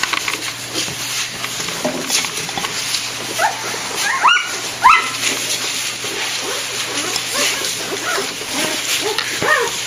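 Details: One-week-old golden retriever puppies at a kennel, several high squeaky whimpers and yelps rising and falling, scattered through a steady hiss with a low hum underneath.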